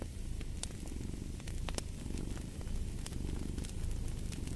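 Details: Cat purring in a soft, throbbing low drone with gentle swells, accompanied by intermittent popping and crackling of a fireplace.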